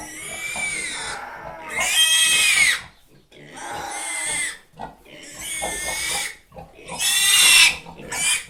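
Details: Long, strained squeals from a pig rise and fall in four or five loud, screeching bursts, each about a second long, separated by short quieter gaps.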